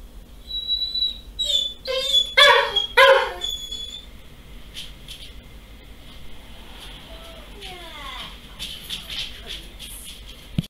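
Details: Pet Doberman, female, crying on her owner's return home: high whining whimpers with harmonic, wavering tones in the first four seconds, then softer descending whines and squeaks, indoors in a small room.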